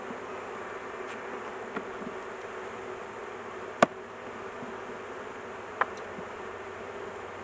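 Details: Many honey bees humming at a big hive opened for an intervention while the queen sits in a cage; continuous buzzing drone interrupted by a few loud sharp clicks, likely handling knocks.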